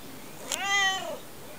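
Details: Domestic cat talking non-stop: a single rich harmonic meow rising then falling, under a second long, preceded by a brief click, in a quiet indoor setting.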